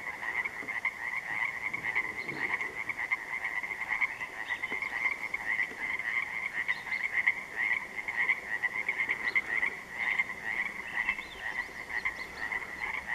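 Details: A chorus of Pacific tree frogs (Pacific chorus frogs) at dark on an interior lake on June 3, 2014: many overlapping raspy two-part croaks blend into a continuous pulsing din.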